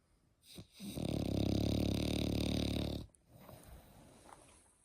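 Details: Eight-month-old French Bulldog puppy snoring indoors: one long, steady rasping snore of about two seconds with a dense low rumble, followed by quieter soft breathing noises.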